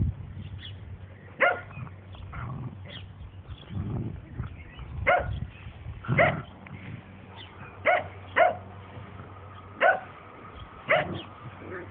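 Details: Playing Dandie Dinmont Terriers, a mother named Lady with her puppies and others; scattered sharp yaps every second or two over low scuffling rumbles and a steady background hum.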